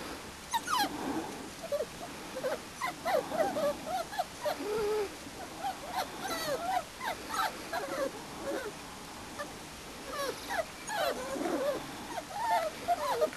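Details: Litter of Springer Spaniel puppies, four and a half weeks old, out in the open for the first time; steady overlapping high whimpers and squeaky yips from several pups throughout.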